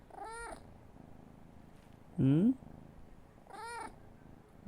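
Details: Pampered pet cat making an unusual sound when its owner calls its name: short harmonic meow-like calls near the start and near the end, a louder, lower rising voice in the middle, soft low purring underneath.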